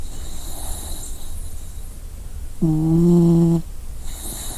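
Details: A dog asleep gives a single low, humming snore of about one second between breathy, hissing intakes of air, with faint room noise underneath.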